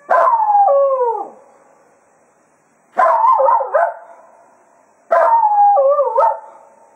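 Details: At the close of a foxhunting day at Quail Roost, Cato the Jack Russell Terrier howls farewell to the hounds. Three quavering, yodel-like howls roughly two seconds apart each break into wavy pitch turns before fading.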